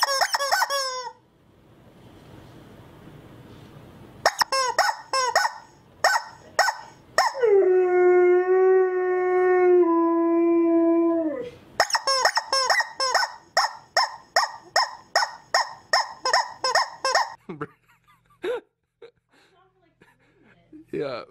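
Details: Siberian Husky 'talking' at home: a run of short harmonic yelping calls, then one steady drawn-out howl lasting about four seconds, followed by another fast series of yelps, each call rising and dropping in pitch.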